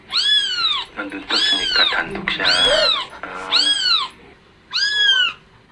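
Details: Kitten crying sound played back to attract an adult house cat in Chuncheon, Gangwon, South Korea; five loud, high, bending mews of roughly half a second to a second each, with faint speech underneath.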